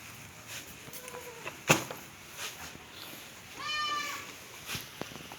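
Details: Black Bengal goat at a mother-goat farm in Pangsha Thana, Rajbari District, among goats that fight and eat Napier grass: one short, high, tonal bleat with a steady pitch, about half a second long, after scattered clicks and a man talking.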